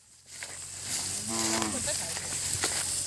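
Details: Cattle herded home to the pen through grassland; one short, steady low moo in the middle, with hissing outdoor noise and a man's voice around it.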